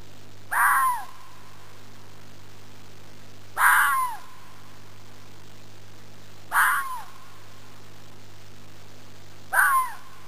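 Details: Fox native to Arizona giving a typical call: four harsh, raspy yelps about three seconds apart, each a brief noisy burst that trails into a thin, falling whine, over a steady low hum.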